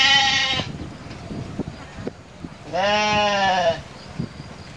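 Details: Long-eared goat giving two clear bleats. The first is short and wavering, the second about a second long, nasal and trembling with rich overtones. Faint low rustling and voices fill the gap.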